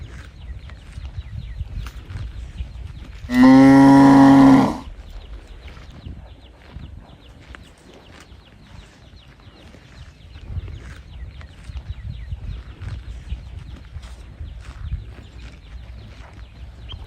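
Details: Lone calf bawl for its mother: a single loud, even-pitched cry of about one and a half seconds, surrounded by long stretches of quiet rural background with soft rustles and clicks.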